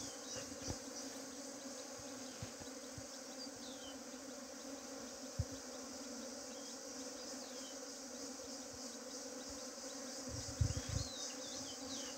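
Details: A bee swarm that had been trying to flee gives a soft, steady low hum with faint overtones. Scattered knocks and thumps break in, loudest near the end.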